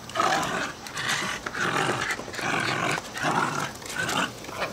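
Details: Jack Russell Terrier puppies about a year old, excited that their owners are back from vacation, panting while playing tug of war and fetch in a backyard on 31 July 2008; breathy, rhythmic bursts come roughly every second, with rough growl-like noise.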